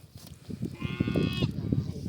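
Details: Sheep being treated for swollen, blinded eyes by heating around the eye, gives a single harmonic, slightly wavering bleat lasting under a second, overlapped by a man talking and background clatter.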